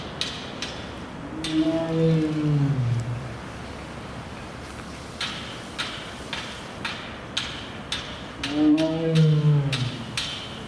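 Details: Restless male tiger Torajiro at Tennoji Zoo, filmed 14 November 2018 as he sneezed, drank water and barked. Two deep, harmonic roars, each sliding downward in pitch, come about seven seconds apart, with sharp tapping clicks between them.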